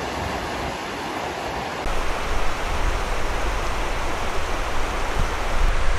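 Steady broadband rushing of water or wind, growing louder after two seconds, with no animal calls.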